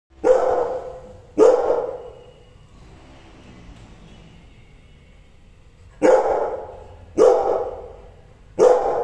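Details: Angry Rottweiler giving deep, loud single barks: two close together at the start, a quiet pause of about four seconds, then three more in quick succession.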